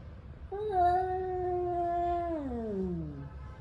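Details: A single angry male cat's drawn-out yowl, steady and level for about two seconds, then gliding downward into a lower moan as fighting tension builds; clear harmonics over low background rumble.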